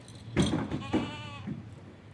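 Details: Goat on a goat farm giving a short wavering bleat, rich in harmonics, just under half a second long, after a brief harsh noisy burst; low background hum throughout.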